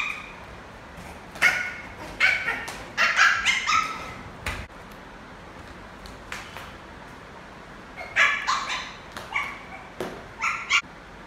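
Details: Playful adopted male Lhasa Apso puppy playing football. Two clusters of shrill yapping barks, several quick notes each, are separated by a quiet gap of a few seconds, with faint scuffing and clicks between.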